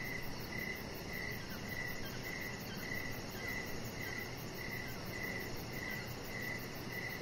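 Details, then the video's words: Outdoor evening crickets beside a deck, crisp high-pitched chirps repeating every half second or so, evenly spaced, with steady low background noise beneath. "3 Hours Of Chihuahua Puppy Laying On Deck with Cricket Sounds"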